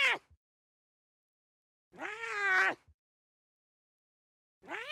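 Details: Lion cubs at play in the wild give loud, harmonic, drawn-out mewing calls that arch up and then down, spaced about two seconds apart with silence between.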